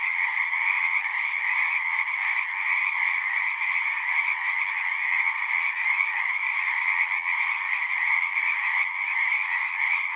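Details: Singing frogs in great numbers form a constant, dense chorus, rapid overlapping calls blurring into a steady rattling hum, mid and high tones layered, with no break or other clear sound.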